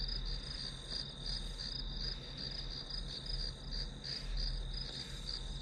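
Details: Continuous shrill pulsing trill of grass insects, rising and falling gently in volume over a low droning hum, serving as ambient white noise during a study session.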